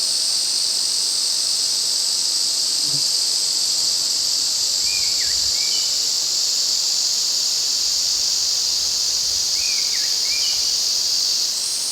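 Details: A chorus of Ezo cicadas in the Afan Woodland forest, Shinanomachi, Nagano, Japan, recorded in high summer in August: a steady, loud shrill drone throughout, with a few short bird chirps at about five and ten seconds.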